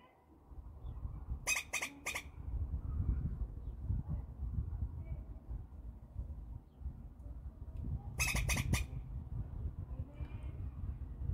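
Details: Squirrel giving two short bursts of three rapid, harsh chucks each, about six seconds apart, over a steady low rumble of wind or handling noise.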